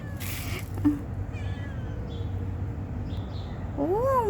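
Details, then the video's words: Stray cat begging for food, a short chirp early on and then a loud drawn-out meow that rises and falls at the end, over steady low outdoor background noise. "Talking stray cat for begging food"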